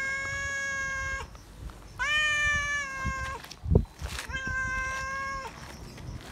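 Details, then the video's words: Loud meowing from a feral cat seeking attention and love; three drawn-out, evenly pitched harmonic meows, the middle one starting with a rising slide, separated by short pauses with a brief thump and rustle between. "Feral Cat Still Remembers Me, Meowing Loud For Attention And Love"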